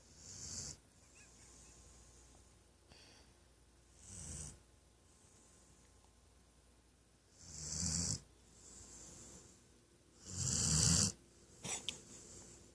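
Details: Loud snoring from a napping female Weimaraner, snoring breaths at uneven intervals of two to four seconds, growing louder toward the end, with a rough low rumble under a breathy hiss and a couple of short snorts.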